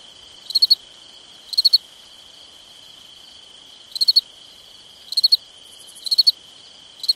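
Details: On a summer night, a nearby cricket gives quick, bright chirps of three or four pulses at uneven roughly one-second intervals over a continuous high, ringing trill from more crickets.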